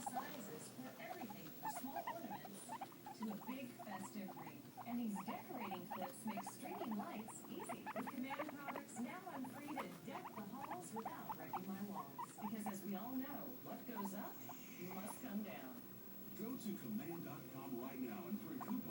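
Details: Long stretch of nonstop noise from two pet guinea pigs, one white and black and one white and brown: dense rapid squeaky chirps layered over continuous low purring rumbles.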